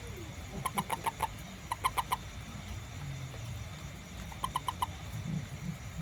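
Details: A small toad, out after rain looking for ants around a home garden and feeding, gives short bursts of rapid croaking pulses, each burst about half a second long.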